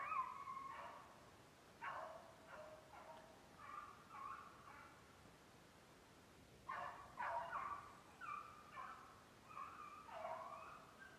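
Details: Beagles from a kennel in Maine running snowshoe hare during summer conditioning in July, distant baying voices in irregular bursts, drawn-out tonal bawls mixed with shorter chops, pauses of a few seconds between volleys, outdoor quiet background.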